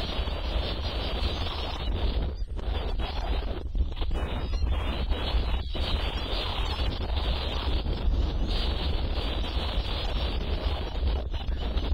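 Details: Steady wind roars against the microphone with a deep rumble and broad rushing noise, and no animal voice comes through.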